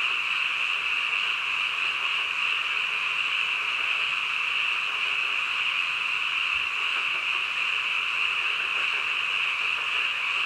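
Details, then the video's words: Frogs croaking in the middle of the night, merged into a dense, unbroken chorus. A steady high droning band holds without pause for the whole stretch, and no single caller stands out. "한밤중 개구리 울음소리"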